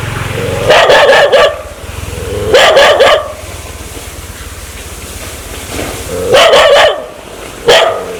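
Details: Aggressive dog wanting to bite people: three bursts of sharp, harsh barking, each a quick cluster of two or three barks, separated by pauses of low background rumble.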